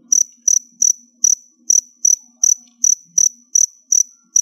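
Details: Captive crickets, kept in a container while preparing to molt, chirp steadily: short, sharp, high chirps repeat about every third of a second, roughly a dozen in a row, over a quiet background with a faint low murmur.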